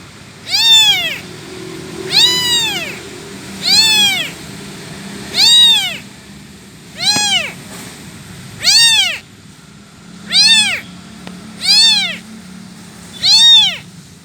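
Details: Motherless abandoned kitten crying out for its mother with a steady series of nine shrill, arched meows, each short and rising then dropping, repeated roughly every one and a half seconds against faint low rumble.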